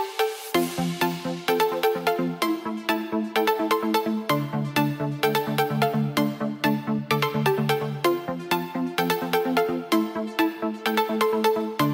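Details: Upbeat electronic dance music with pulsing synth chords and a driving beat fills the recording, with no animal voice heard.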